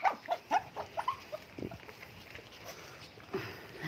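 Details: Commotion between mini Dobermans and Shih Tzus: a quick run of high, short yaps and whimpering yips, about two per second at first, trailing off into softer, irregular sounds.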